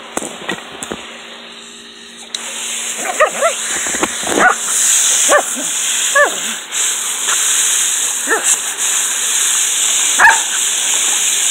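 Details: Dixie, a Border Collie, in her pool on a hot June evening in 2018, gives a run of short, yipping barks after two quieter seconds, irregularly spaced, with constant high hiss and faint splashing-like noises behind.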